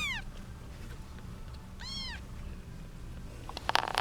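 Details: Kittens of a young mother cat with eight kittens squabbling over her, two high descending mews about two seconds apart, then rustling and clicks over a low hum.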